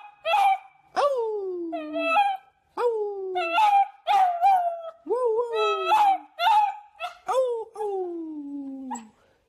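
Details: Puppies yip and howl in quick succession, each call starting with a sharp onset then sliding down in pitch, about a dozen calls over nine seconds with small gaps.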